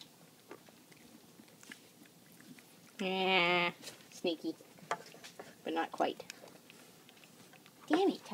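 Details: Two 3-day-old goat kids, rescued from a hoarder and now kept indoors as pets, romping and feeding; one short, steady, harmonic bleat midway, surrounded by chewing and mouthing noises, soft knocks and nearby human talk.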